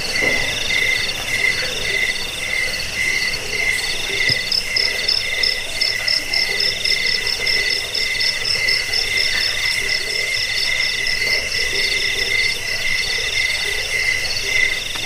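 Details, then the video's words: Crickets, offered as a sleep aid, rat repellent and songbird tutor, keep up a dense, unbroken shrill chorus: several high, pulsing trills layered over one another, with no other clear sounds. "Suara jangkik pengusir tikus pengantar tidur"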